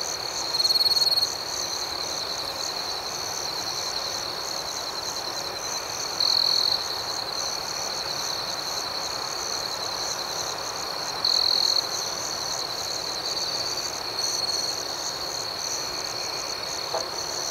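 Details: A continuous, thin, high cricket chirping at night outdoors, rhythmic and unbroken, with three louder trilled bursts roughly every five seconds near 1, 6.5 and 11.5 seconds.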